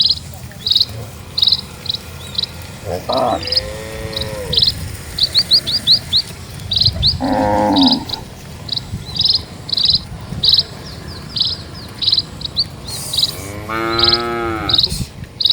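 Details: Cattle from a herd of dozens walking slowly along a quiet village road; three drawn-out, harmonic moos at intervals, set against a steady run of short, high bird chirps repeating throughout.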